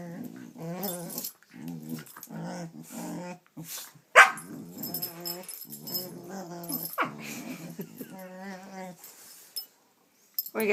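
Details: Whiny, grumbling dog vocalisations come in uneven bursts indoors, mixed with short yips and a sharp click, with brief quiet gaps between phrases.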